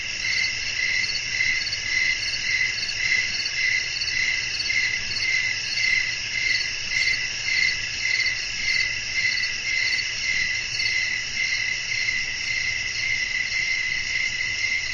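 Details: Crickets at night keep up an unbroken, high-pitched chirping trill. The pulses repeat at an even pace, close to two a second, for the whole stretch over a soft low rumble.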